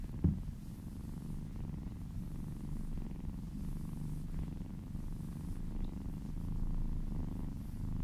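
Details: Purring from a little female kitten during a massage as she licks a person's arm, a quiet continuous low rumble with a faint tap at the very start and a slight swell near the end.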